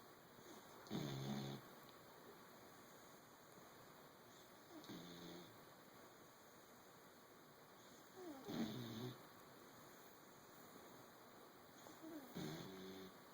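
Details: Female English bulldog and basset hound mix puppy asleep and snoring loudly for her age: four soft, rasping snorts spaced about three to four seconds apart, with a steady faint hum in the background.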